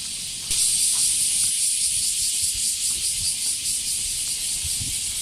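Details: Great cicada chorus recorded during a dog walk with a female Border Collie. The dense, shrill buzzing swells in suddenly after half a second and then holds steady, with slight pulsing, over low rumbling handling noise.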